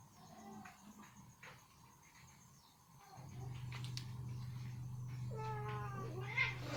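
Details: Ginger cat, happily eating chicken meat that has become stuck in her teeth, gives a short wavering meow near the end with stacked rising and falling tones over a steady low hum and faint clicks.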